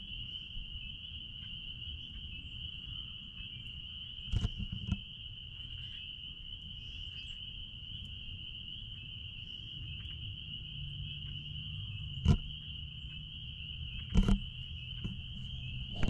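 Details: A dense chorus of spring peepers out back at a blueberry farm merges into a steady, high-pitched ringing shrill over low rumbling background noise.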